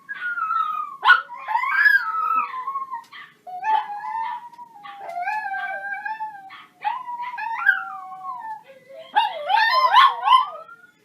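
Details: Dog; whines and howls; asking to go for a walk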